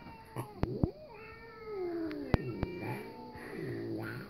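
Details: Louis, a pet cat, reacting to cat videos, gives a long, low, wavering drawn-out meow that slides gradually downward, followed by a softer, shorter meow near the end, with a few sharp clicks and taps in between.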